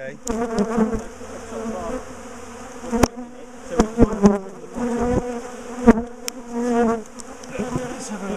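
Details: Big top bar hive colony of defensive honeybees being taken apart and moved; a sustained droning hum layered with rising and falling whines of passing bees, punctuated by sharp clicks and bangs from the hive work.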